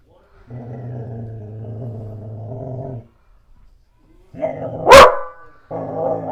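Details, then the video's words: A black Goldendoodle barking at the owner's mother and a painter: a long, steady, low droning sound for a few seconds, then a sudden loud sharp bark followed by another rough vocal burst. "My Black Goldendoodle Barking"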